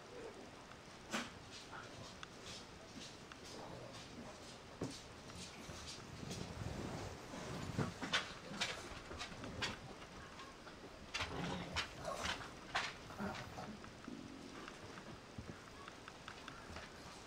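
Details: Young mixed-breed puppy, eyes just opened, giving soft whimpers and short squeaks scattered through the recording, with clicking and rustling noises and a steady background hiss.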